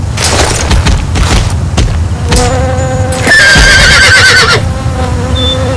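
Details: Horse neighing: a loud, harmonic whinny that quavers and falls in pitch, heard over heavy rumbling noise and scattered clicks.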